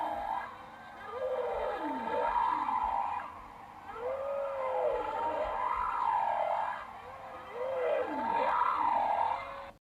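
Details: Bowhead whale giving repeated arched tonal calls, each phrase rising then falling in pitch with a slurred, moaning quality, returning roughly every three seconds, over a faint constant underwater hum.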